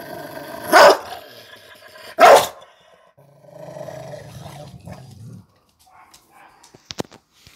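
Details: A Rottweiler having a bad day and completely freaking out gives two loud, deep barks, then a low rumbling growl and a few sharp clicks.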